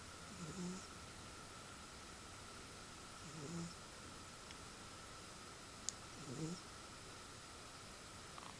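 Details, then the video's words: A cat asleep and snoring, quieter here. Three soft, low, husky breaths recur about every three seconds. A faint tick sounds near the end of the third, over a steady low room hum. "Snoring Cat"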